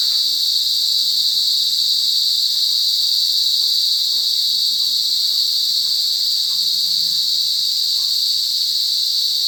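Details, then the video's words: Steady shrill buzzing of cicadas fills a forest, one constant high drone without breaks, faint soft low sounds drifting underneath. "cicadas lound buzzing noise in forest"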